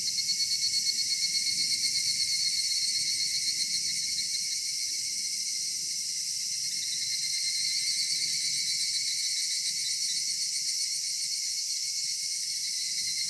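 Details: Cicadas singing on a summer evening at dusk in a cedar forest: a dense, steady high-pitched shrill drone with a faint pulsing flutter early on, and soft low rumble beneath.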